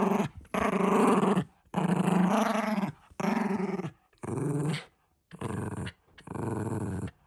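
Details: A Shiba Inu named Ranmaru gives six throaty, harmonic grumbling growls, each half a second to a second long, separated by short silent gaps, loud and close.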